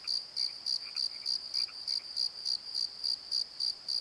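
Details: Crickets at night in a valley bottom at the Pozo Night Tree: a shrill, regular chirp repeating about three and a half times a second, with a few faint lower notes.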